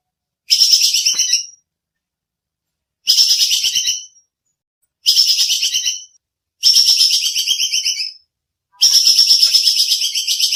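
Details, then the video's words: A squirrel (bajing kekes) makes a piercing, buzzy chatter, used as master audio for songbirds. Five bursts of fast pulses come at intervals of about two seconds, and the final burst runs longer. No other sounds intrude. "Suara bajing kekes buat masteran kicau || Suara jernih full nembak"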